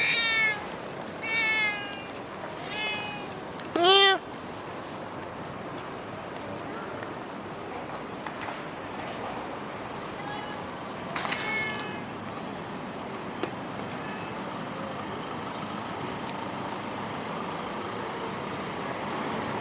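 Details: Stray cat in Singapore giving a run of short, harmonic meows in the opening seconds, then one louder, clearer meow near the four-second mark, followed by a steady background hiss and a brief rustling noise around eleven seconds.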